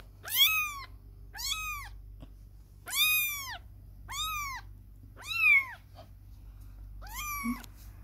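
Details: Kitten away from its mother for the first time, playing while the mother cat grooms; six clear high arched meows, each about half a second, repeated every second or so over a low steady hum.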